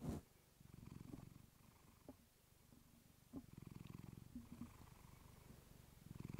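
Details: Clementine, a pet cat, purring close to a fluffy microphone indoors, a relaxing sleep recording; low rumbling purr in long pulsed bursts broken by short pauses for breath, with a few soft clicks and rustles between.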